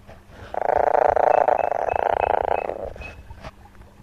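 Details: A frog from the Western Himalaya gives a rough, rapidly pulsed buzzing call lasting about two seconds, possibly a high-frequency distress call.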